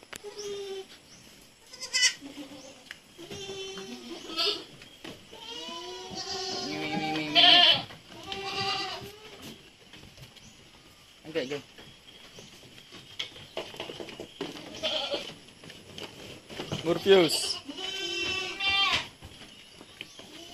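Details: Several weaning goat kids at Terra Grande Farms in Negros Occidental, Philippines, bleat repeatedly over twenty seconds: wavering, nasal, harmonic cries that overlap at times. Loud peaks come near the middle and the end, with knocks and brief voices between calls.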